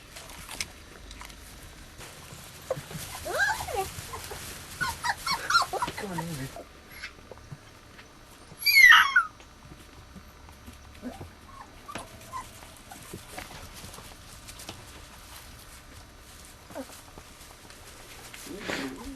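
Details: Litter of four-week-old pups, three-quarter husky and one-quarter malamute, born 10 March: a run of wavering whimpers, then one loud, sharp yelp near the middle, followed by scattered soft whines and rustling.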